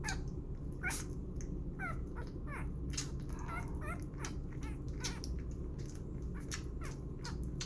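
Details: During bottle feeding and burping, six-day-old puppy Burro makes brief wavering squeaks at irregular intervals, overlaid with clicky suckling noises and a constant low indoor hum.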